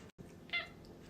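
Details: Alfy the cat gives a brief, high, bright meow just after a short pause, while steady low room noise continues.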